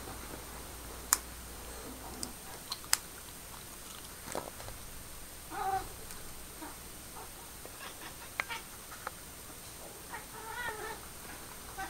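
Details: Pepper, a pet cat indoors, trying to talk to her new laser-pointer friend: a few short, soft chirping calls spaced several seconds apart over quiet room noise and faint clicks.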